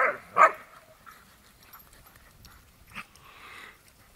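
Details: Lurchers Sophie and Scout playing in Preston Park, Tetbury, Gloucestershire; two sharp yelping barks open the moment, followed by a quieter stretch and one more short bark near the end.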